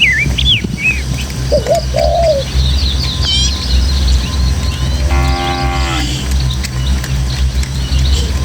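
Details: Tame village cattle, dozens in a herd, excitedly running along hill paths through the countryside toward their pen; one drawn-out, harmonic moo lasting about a second comes after bright chirping birds, over a breeze and a steady low background hum.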